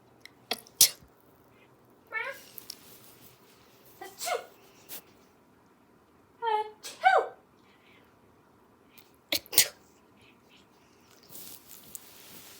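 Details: Pet cat indoors reacting to a person's sneezing: four short harmonic meow-like cries near the second, fourth, sixth and seventh seconds, between sharp broadband sneeze bursts and a brief spoken question.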